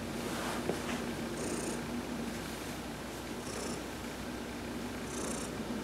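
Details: Heidi the cat purring contentedly while massaged during a sun bath, recorded November 19, 2020. A steady, low vibrating rumble, with a brief high tone returning roughly every two seconds.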